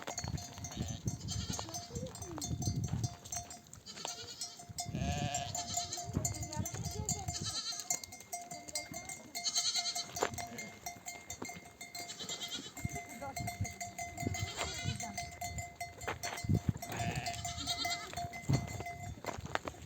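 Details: Mother sheep in a nomadic herd, back from grazing in the desert, bleat for their babies to suckle; repeated quavering bleats from several animals rise over constant jingling bells and shuffling feet.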